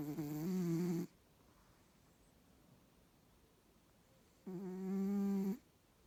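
A Bengal cat snores in two long, rasping, low-pitched breaths separated by a quiet pause.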